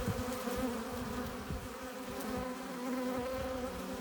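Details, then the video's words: Honey bees at a hive entrance, many flying in with pollen and nectar: a dense, continuous buzzing drone with steady low hum bands and bright overtones, wings whirring from overlapping bees, with brief louder passes as individuals fly close. "15 minutes of bee hive entrance! Relaxing sounds! Buzzing sound efects"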